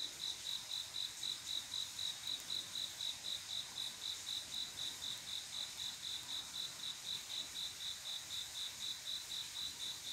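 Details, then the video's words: Night-time cricket song from a quiet summer evening, the male calling a female to mate: a fast, very regular train of high, thin chirps, roughly four each second, over faint hiss. "조용한여름밤 귀뚜라미소리,ASMR, 잠 잘안오는 한밤의 귀뚜라미소리, 추억이 생각나는 소리, The sounds of crickets"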